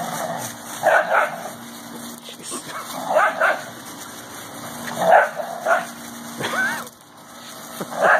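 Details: Whippets play-wrestling, recorded 28 April 2016: short, rough barking and growling bursts come in clusters every second or two, some rising sharply, over a steady low electrical hum with quieter gaps between outbursts.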